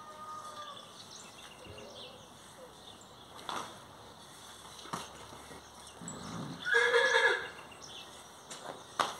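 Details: Horse at a riding school, being saddled by a child: a short, loud, harmonic whinny bursts out near the end after quieter stretches of hoof knocks and scattered background voices.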